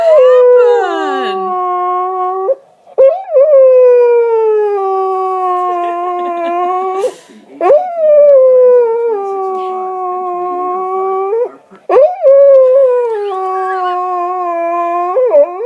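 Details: Dog protesting after pushing his bone under the sofa on purpose: long drawn-out howls, each starting with a quick rise then held and slowly sagging, repeated roughly every four seconds with brief breaths between.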